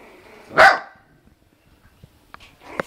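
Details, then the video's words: Puppy barking at another dog: one sharp loud bark, followed by quieter small yips and rustling sounds in a small room. "Cute puppy bark"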